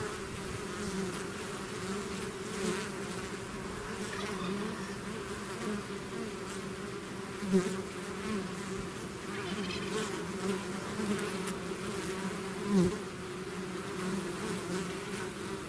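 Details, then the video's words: Steady humming of a bee swarm out of its hive, a low layered drone broken by two brief louder buzzes as single bees fly close past. "bees therapy swarm natural buzzing sound"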